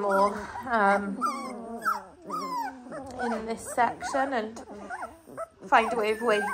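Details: Eighteen-day-old Dalmatian puppies cry in a chorus of quavering, high whines, many voices overlapping, with short pauses and swelling bursts of squeaky, sliding calls.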